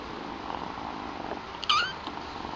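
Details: One of two new kittens, young queen Chilli or her all-black brother Pepper, lets out a single brief, high-pitched meow that rises and then falls, over a steady low indoor hiss.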